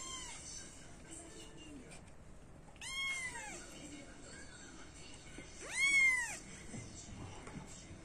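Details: Brown-type Burmilla kittens from a Japanese cattery, indoors: two high, clear kitten meows about three seconds apart, each rising then falling, with soft background music throughout.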